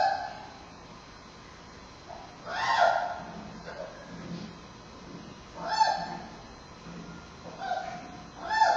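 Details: At Smithsonian's National Zoo on 9 October 2015, giant panda cub Bei Bei fusses during a bumpy Friday afternoon nursing bout with mother Mei Xiang; three loud bleating squeals come about three seconds apart, separated by quieter whimpers.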